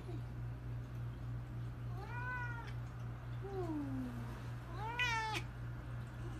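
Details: Domestic cats meowing: three separate meows, two rising then falling and one lower, drawn-out meow that slides downward, spaced a second or two apart over a steady low electrical hum.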